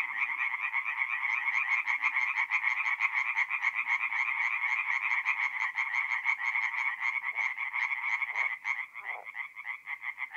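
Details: Night chorus of tree frogs at a forest pond in north-east Italy in mid-April; rapid, nasal pulsed croaks pour out continuously from many frogs, thinning toward the end where individual callers become distinct.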